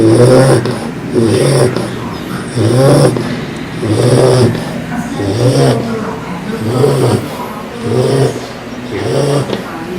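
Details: Heavy bulldog snores come in a regular cycle near once per second, each a gravelly low rumble rising and falling, with faint background noise between breaths.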